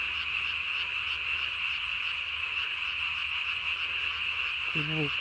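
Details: Japanese tree frog at night, 3 May 2020, inflating its throat sac as big as its body; unbroken rapid high rattling croaks, with a brief low harmonic sound near the end.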